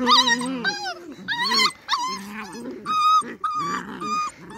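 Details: Beagle puppies playing outside in their enclosure: a busy run of high, wavering whines and yelps overlapping with lower growly noises, with human voices chiming in.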